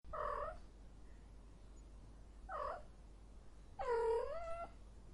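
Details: Cat in heat giving three drawn-out, nasal meows, each under a second, the last longer and wavering; quiet, with a faint low hum in the background.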